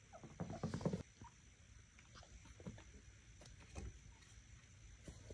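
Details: Knox, a vocal pet chinchilla, screams for attention, wanting out of his cage to play after a late cage-cleaning and playtime routine; a harsh burst of stacked, harmonic cries fills the first second, followed by quiet rustling and faint clicks.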